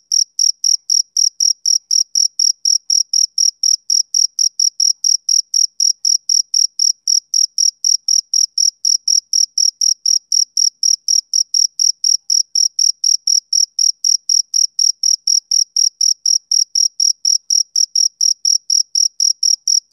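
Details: Steady chirps of a male cricket, a summer-evening insect, each a short bright high note about a quarter second apart, unbroken for the whole stretch in otherwise silent surroundings.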